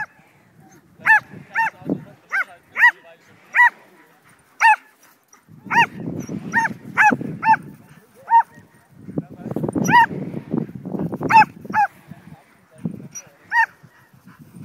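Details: Excited Border Collie mix Betsy barks repeatedly as she herds a flying kite outdoors. Clusters of sharp, high barks come in rapid bursts, separated by stretches of rumbling, wind-like background noise.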